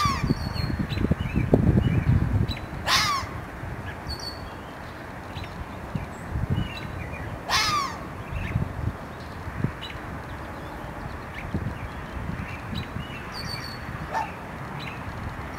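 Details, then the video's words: Red fox barking: two loud, rasping single barks about five seconds apart, then a fainter third one, with falling pitch in each, low background rumble and thin bird chirps in the distance. "fox barking"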